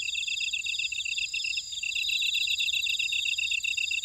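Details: Buckwheat-field grass insects of Ora-dong, Jeju City, Jeju Island, South Korea, singing together. Fast ticking pulses sit beneath continuous high, ringing trills, forming an unbroken shrill chorus with no birds or voices.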